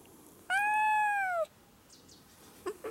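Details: A cat perched on a high, tiny place gives one clear, drawn-out meow of about a second. The tone is steady and slightly falling, with rich harmonics, and a couple of soft knocks follow.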